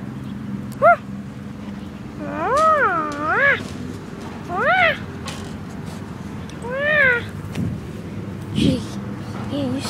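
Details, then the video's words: Female boxer dog making funny noises: a series of drawn-out, wavering, singing whines that rise and fall in pitch, four main bursts over ten seconds, over a steady low hum with a person praising her. "Funny noises with boxer"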